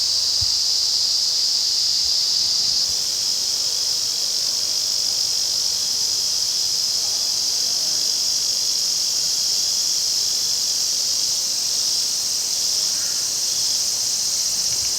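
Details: Massed Tanna japonensis chorus in August at the restored Afan Woodland, Nagano, Japan: an unbroken, high, shimmering drone of many cicadas, constant in loudness throughout, with a faint low knock near the start.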